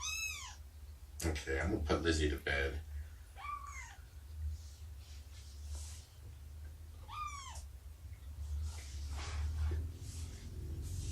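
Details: Indoor nursing and play time with Shelby, a rescued cat about two years old, and her kittens of around three months, morning of 2017-09-24. Several short high, arched mews are spread across the recording, with a burst of human speech near the start and low background hum.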